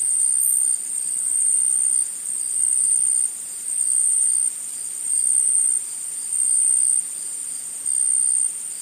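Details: Forest insects produce a continuous piercing high buzz, its volume stepping up and down in even blocks of about a second, with one short sharp chirp near the start.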